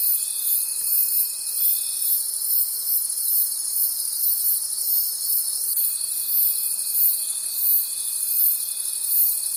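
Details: Night chorus of crickets in a forest, a bright high buzzing shimmer beating in regular pulses about three per second, joined by a steady thin trill that stops briefly mid-clip and then resumes.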